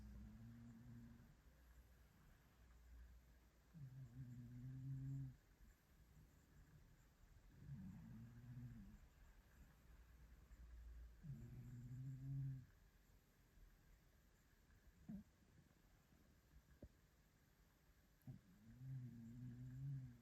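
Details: Maine Coon cat asleep on an armchair on a Monday morning, snoring: deep, rough, buzzy low snores with a slightly rising-then-falling tone, one roughly every three to four seconds, five in all, with quiet breathing gaps in a still indoor room.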